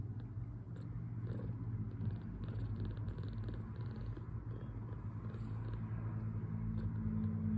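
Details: A two-week-old kitten, fostered and recovering from poor health, purrs contentedly after feeding; a deep even rumble runs throughout beneath light rustling and soft clicks.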